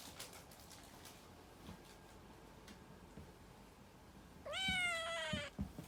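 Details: Puran, a domestic cat, lets out one strong, bright meow near the end, held steady and then dropping in pitch, after several seconds of quiet indoor background with faint ticks.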